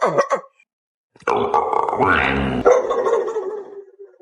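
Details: Dog making weird vocal sounds: two short wavering yelps, a pause, then a long, loud, harmonic moaning whine that rises and falls before trailing off into a lower drawn-out tone.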